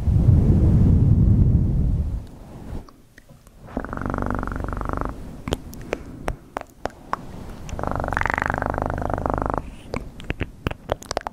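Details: Domestic cat purring close to the microphone in low, rumbling bursts, heaviest in the first two seconds, then two steadier stretches of throbbing purr separated by sharp clicks and tapping sounds.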